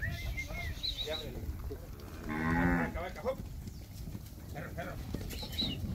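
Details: Calves recorded in Campeche, Mexico, on 20 August 2022, giving one brief, muffled moo in the middle of the recording, half-buried under rumbling noise and faint chirping sounds.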